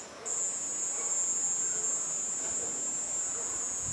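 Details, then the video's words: Cicada singing in a garden at nightfall among other night sounds; a steady, piercing high-pitched whine starts abruptly after a quarter second and holds unbroken to the end. "BAT SOUND AND CICADA SOUND"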